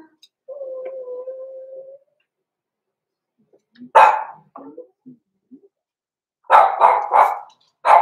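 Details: Six-week-old blenheim Cavalier King Charles Spaniel puppies, born November 14, 2022, in an indoor puppy pen. A thin, steady whine gives way to one sharp yap, soft grunts, then a quick burst of four high barks.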